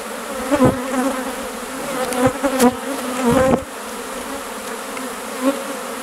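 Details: Western honey bee (Apis mellifera) swarm of thousands of swirling bees, heard from inside, makes a steady, low, droning hum with a few sharper bursts of buzzing.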